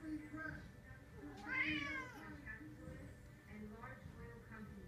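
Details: One rising-then-falling harmonic meow from cats Cisco and JJ indoors, followed by softer murmurs, with speech and a steady low tone in the background.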